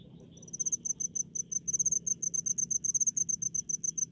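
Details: Cricket chirping in rice fields in the countryside, played as relaxation sound: a steady run of sharp, high pulsed chirps repeated rapidly, about five per second, with a faint second insect trill lower down and quiet low rumble beneath.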